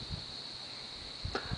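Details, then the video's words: Crickets give a steady, high-pitched trill, joined by grasshoppers, in quiet, barren land at Sacajawea Cemetery near Lander, Wyoming. "You can hear the crickets in the background and the grasshoppers."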